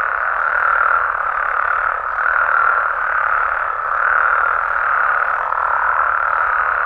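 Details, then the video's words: Mexican frogs and toads calling at night in their natural habitat: a dense, unbroken chorus of overlapping croaks and trills that forms a steady mid-pitched roar, gently swelling and fading about every two seconds. "Mexican Frogs & Toads Sounds"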